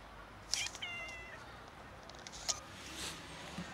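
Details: Street-dwelling grown kittens begging for food and squabbling over it give a short, bright meow followed by a brief wavering mew, with faint clicks and rustles in the background.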